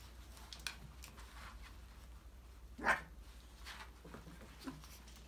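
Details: Five-week-old Australian Labradoodle puppies from a December 2020 litter playing indoors in an enrichment playground; one sharp, short yip rises above steady pattering, scrabbling paws and light knocks of toys.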